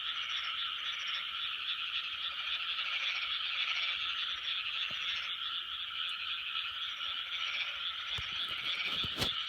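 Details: Loud 2020 chorus of frogs, continuous overlapping croaking with fast rhythmic pulsing and some faint higher chirps early on, ending with a few sharp clicks or knocks.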